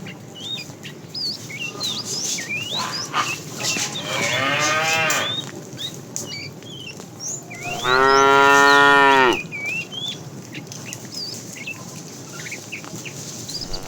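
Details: Tame cows herded in the afternoon; a fat cow calling the female gives two moos, a softer one first, then a louder, longer, resonant one several seconds later, amid continual bird chirping and twittering.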